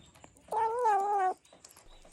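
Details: Rescued kitten eating canned food for the first time in its life, making a strange sound: one drawn-out tonal meow lasting under a second, slightly wavering, with faint rustling before and after.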